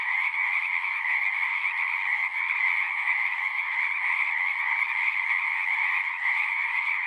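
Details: Many frogs singing together at a pond in a horse pasture, captured on a Zoom 6. Continuous, even, high-pitched trilling with no pauses, layered voices blending into one constant buzzing drone.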